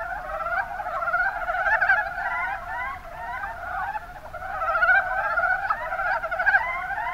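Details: Chorus of Mountain brown frogs, Rana ornativentris, Kuma Basin in Kumamoto, Japan; rapid overlapping croaking pulses from many callers blend into a continuous rattling din that dips briefly around three seconds, then swells again.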